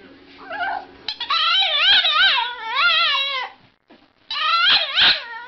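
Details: Pet dog vocalizing in drawn-out, wavering whines with a yodel-like rise and fall. Two bursts are split by a short pause near the middle.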